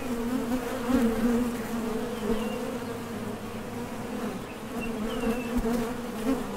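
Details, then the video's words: Honey bees at the doorway of a top bar hive, foragers leaving and arriving; an even, vibrating drone in two stacked tones, with gentle surges and a couple of faint high whines. "HONEY BEES Sound Effect #MasonJar | BEES BUZZING"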